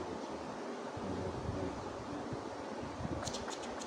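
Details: Outdoor wind rushes steadily against the microphone, with a few faint clicks near the end; no animal voice is heard.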